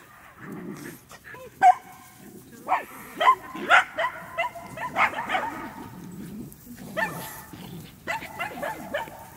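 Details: Medium Poodle running, giving short barks spaced irregularly across the recording, some with bright harmonic tones, while a person talks quietly in the background.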